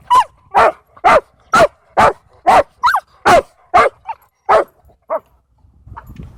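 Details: Dog barking at a dog park as dogs race and play around a scared dog; a steady series of about twelve loud sharp barks roughly every half second, fading to fainter ones at the end.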